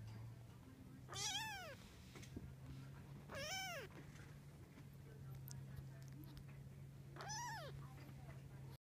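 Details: Nineteen-day-old Munchkin kitten mewing three times at intervals of about two to four seconds, each cry a high arched rise then fall, with a constant low hum in the room.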